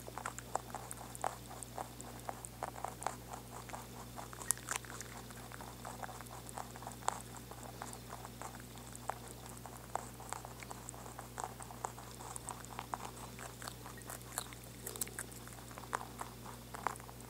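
A rabbit chewing, with rapid dry crunching clicks steady throughout over a faint low hum.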